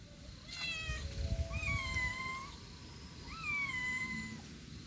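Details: Domestic kitten with her mother: a short high mew, then two drawn-out meows about two seconds apart, each rising slightly then leveling off, with a low rumbling background.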